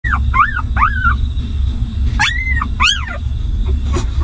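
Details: Newborn puppies of a stray mother dog whimper while suckling, giving high arching whines that rise then fall, in quick pairs early on and again near the middle, over a steady low rumbling hum.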